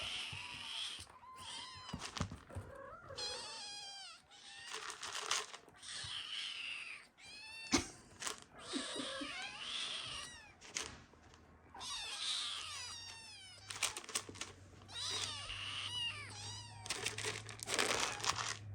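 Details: Several Ragdoll kittens, the first litter of a mother named Elsa, beg for food at home. Their high, rising-and-falling meows overlap in rapid, insistent bursts, with brief pauses between clusters of calls.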